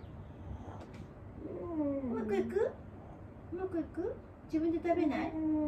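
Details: Aged dog Wanta, cared for at home and restless, groaning as it moves its limbs: wavering moans that slide up and down, a brief pair of rising cries, then a longer bending groan, indoors.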